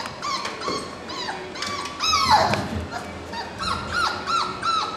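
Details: Puppies from one litter, four weeks old and born March 7, 2010, whimper and yip in overlapping bursts: short falling squeals, a louder sliding cry in the middle, then repeated arched whines near the end.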